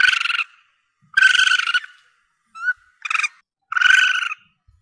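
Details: Young Asian palm civet, in a recording that hunters use to draw in their target: four rough, mewing cries with a short, thin, rising squeak between them, all rasping and harmonic-rich, with no other sounds.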